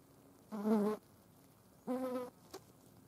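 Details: Green bottle flies at a dead mouse: two half-second buzzing bursts about a second apart, a steady harmonic hum rising slightly in the second, followed by a short faint tick.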